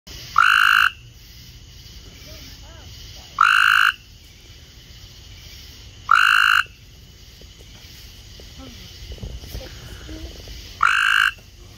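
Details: Several Cope's gray treefrogs gathered in a kiddy pool give loud, harsh, buzzy trills, each about half a second long and spaced a few seconds apart.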